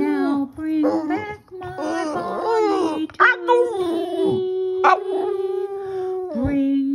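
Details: A Boston Terrier howls along while a person sings "My Bonnie Lies Over the Ocean" indoors. Wavering, rich-toned howls rise and bend over sustained notes, overlapping with the human voice, with brief breaks between phrases.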